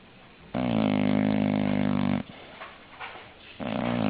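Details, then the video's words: English bulldog in a small room producing one long, steady, harmonic snore of nearly two seconds, then quiet breathing and the start of another snore. "Funny Snoring English Bulldog"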